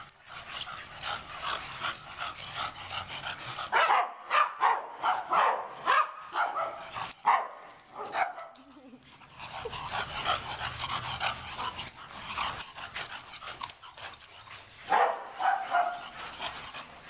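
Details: Dog, one of a group including Gwenyth, Freckles, Buddy, Sport and Baxton, giving bursts of short barks and whining yips, with human voices talking in between.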